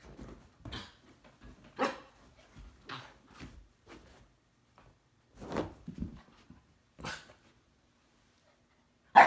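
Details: Siberian husky, the stamping dog, trying to wake a resting cat indoors while the cat fends it off; short scattered bark-like vocalizations at irregular intervals, some soft and muffled, with a loud sharp bang at the very end.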